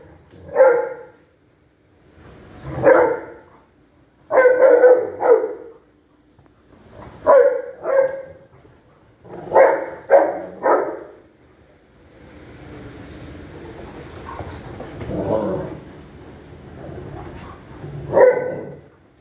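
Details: Golden retriever named Cash playing with a friend, giving short barks in clusters of one to three, several close doubles and triples over about twelve seconds, then a stretch of broadband rustling noise before a final bark.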